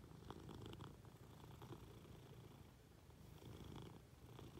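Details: Munchkin cat being affectionate with its owner in bed; quiet continuous low purr, slightly louder at the start and end, with faint rustling of bedding.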